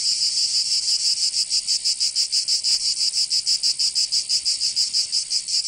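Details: Cicadas calling in summer in Provence, France, a loud high-pitched rasp pulsing evenly around three times per second, with one brief faint click midway.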